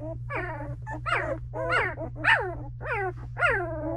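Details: Misty's Belgian Malinois puppies, two weeks old, cry in their whelping box: six rising-then-falling squealing whines, tightly layered with overtones, spaced roughly every half second, with a constant low hum beneath.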